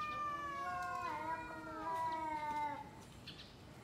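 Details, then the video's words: Domestic cat yowling at a rival before two cats fight: a long, steady, moaning wail that wavers slightly in pitch and lasts nearly three seconds before breaking off, with a quiet room in the background. "Kucing Ngobrol Sebelum Tarung | Cat Fight | Suara Kucing"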